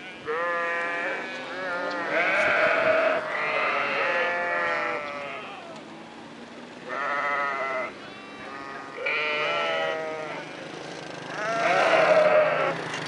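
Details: Sheep in a valley giving several long, wavering, nasal bleats, each lasting about a second or two and repeated every few seconds, over a low steady background hum.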